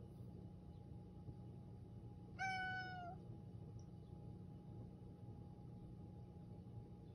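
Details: Toto, an affectionate pet cat, meowing in a hoarse voice as if trying hard to communicate; a single drawn-out, harmonic-rich meow of about a second that holds a steady pitch and falls slightly at the end, in a quiet indoor room with a faint steady hum.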